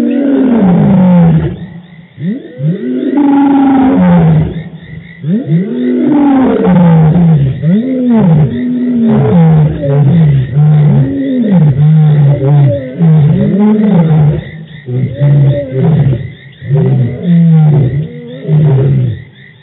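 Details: Dominant roaring by the Birmingham Boys male lions, three of them very vocal at a dam in Djuma Game Reserve, March 2018: loud, continuous overlapping bouts of deep arched grunts, with frogs trilling faintly behind.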